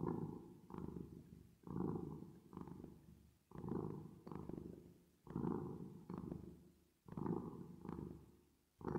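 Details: Purring cat, reverb added: deep buzzing rumble in rhythmic breath cycles, each cycle a pair of swells separated by brief near-silent pauses, about every two seconds.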